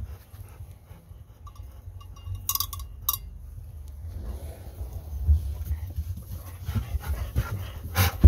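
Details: Golden Retriever, one of two named Kohaku and Bis, starts quiet and then breaks into soft, uneven panting breaths that grow louder toward the end, with a few faint clinks early on, during a farewell with a visiting daughter.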